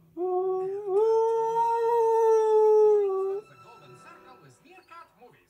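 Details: A male Husky/Malamute sings along to his favourite TV adverts, with a different song for each advert. One long, steady, tonal howl lasts about three seconds, rising slightly at the start and end, followed by faint background sounds.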